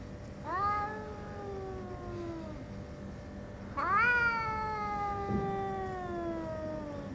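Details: Chatora No. 2, an orange tabby brother who had kept out of sight for half a month, gives two long, plaintive meows about three seconds apart, each swelling briefly then trailing off in a slow falling wail; a soft thud between.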